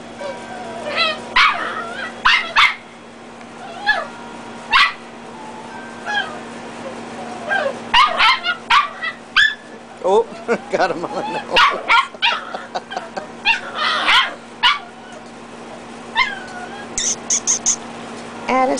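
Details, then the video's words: Dachshund puppies play-fighting, red littermates against black and tans: busy overlapping yaps, squeals and growly snarls in rapid clusters, with short spoken remarks to a puppy named Addison and a constant low hum. "Dachshund Reds Battle Against Black and Tans Puppies"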